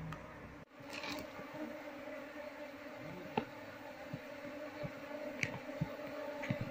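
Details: A honey bee colony hums during its transfer to a cultivation box while the queen is sought; a faint low drone with overtones under repeated soft clicks and knocks.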